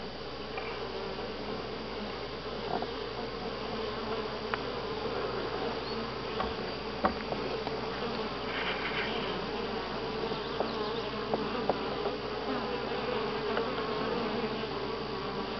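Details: Loud, unbroken humming of many honey bees at Grass Lake Sanctuary in week 6, July 25 2011: a rich drone with a steady tone band and frequent faint clicks and taps throughout.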